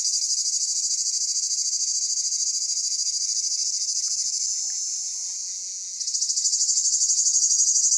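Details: Cicadas in summer, Pelion, Greece, producing a steady piercing buzz with a rapid pulsed texture, gradually weakening toward the sixth second before a renewed loud surge.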